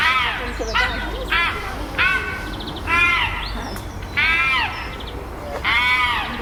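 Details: Tense chimpanzee group at Chester Zoo's Chimp Island after a new baby's birth, alpha male Carlos controlling fights and displays; strident, strongly harmonic arching screams repeat roughly every second, loud over a low background rumble.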